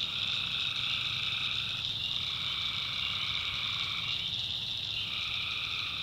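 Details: Tree frogs calling at night in the swampy backwoods of North Carolina: a dense, unbroken high-pitched trilling chorus, with a lower band of calls that drops out near the two-second mark and returns.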